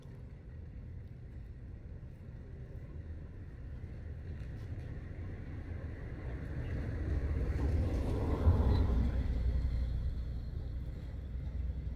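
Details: Low engine and wind rumble builds outdoors, peaking near the eighth second, with no animal voice present.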